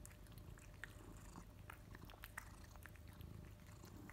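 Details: A male house cat named Kimi gulps his favourite wet food just after the sachet opens; sharp sticky clicks and lip-smacking sounds repeat unevenly above a constant low droning rumble.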